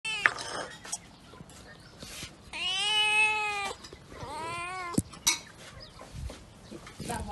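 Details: Kittens being fed fish with rice give two long, drawn-out harmonic meows that rise and then fall, followed by a shorter meow. Vietnamese speech and clattering can be heard around them.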